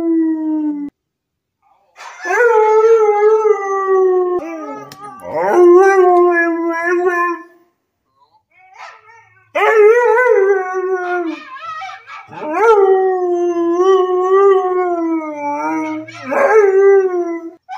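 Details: Arlo, a purebred Siberian husky in service dog training, howls in long tonal wails that waver and slide, four main howls separated by short pauses, with a few yips and breaks between phrases.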